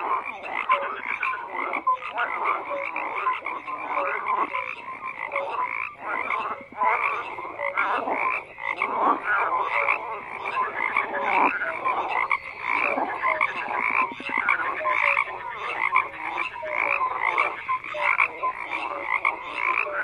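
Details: A thick frog chorus of continuous croaking, rapid rattling pulses from many animals blending into a steady wall of sound with brief tonal pips scattered throughout.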